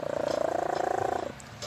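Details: A sleeping cat named Leah gives a steady buzzing snore, rapidly pulsed and even, for just over a second, then falls quiet with a faint breathy sound at the end.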